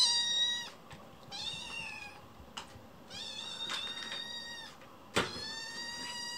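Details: Loud, wailing meows from Chicchi, a rescued kitten in foster care, pacing the room after waking: four long, bright cries with rich harmonics and a short gap between them, plus a sharp knock near the end.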